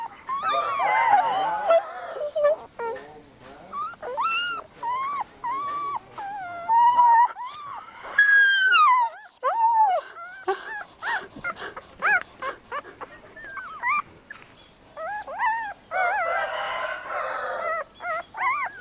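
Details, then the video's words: Several puppies keep up an excited stream of short, high yelps and whimpers, with bends in pitch, a brief lull in the middle and a louder cluster near the end. "Lovely animals the activities of familiar cut dog, puppy sound effect"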